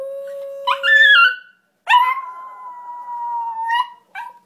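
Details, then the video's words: Izzy, a female pet terrier, 'singing' when prompted by her owner: a steady, pure howl note that breaks into a higher wavering cry, then a long, level, drawn-out howl ending in a brief final yelp, with no other sounds. "Izzy singing"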